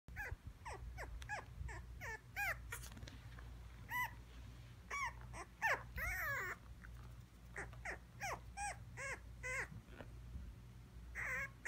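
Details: Teacup Maltipoo dog, teddy-bear type, giving a long run of short, high, squeaky whimpers and yelps, some rising then falling, repeated every fraction of a second with brief gaps, over a steady low hum.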